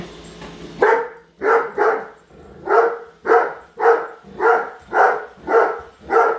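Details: Great Dane dog indoors barking at a Roomba robot vacuum she dislikes, following it around; loud repeated barks about every half second, steady run of around ten barks.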